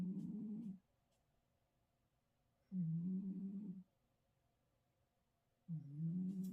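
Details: A sleeping Russian Blue cat snores in low, buzzy rumbles, one drawn-out breath about every three seconds.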